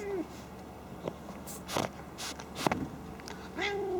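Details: Pet cat Callie, a female, snorting like a pig while playing happily indoors, not angry. Several short, noisy, breathy snort bursts in the middle, with brief tonal meow-like sounds at the start and end and a soft human voice.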